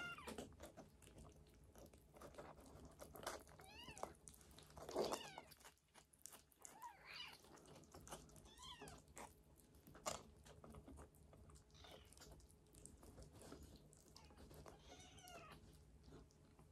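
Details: Sickly rescued silver tabby kitten taken in from Tokyo, on a hunger strike indoors, giving short, rising-falling meows scattered through the clip, a few louder ones standing out over quiet room noise and faint chewing sounds.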